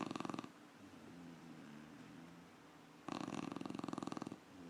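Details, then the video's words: A puppy snoring indoors: a loud rasping snore burst at the start and a longer one from about three to four and a half seconds, with a quiet low hum between breaths. "Piggy puppy snoring!"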